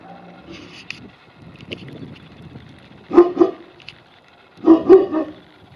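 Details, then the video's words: Tibetan Mastiffs playing hide and seek; two deep double barks, each a pair of quick woofs, sound about a second and a half apart, with quieter rustling and scattered soft noises between them. "Играем в прятки с тибетскими мастифами"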